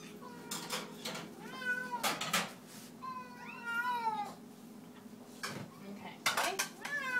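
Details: Feeding time for a group of cats, clear arching meows with rich harmonics, some rising then falling, repeated by several cats amid loud clinks of dishes and cutlery.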